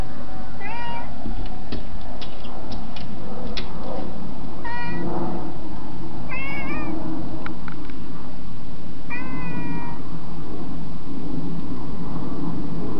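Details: House cat asking to come inside, giving four clear meows spaced several seconds apart, each a short wavering cry, mixed with sharp clicks and knocks early on over constant low noise.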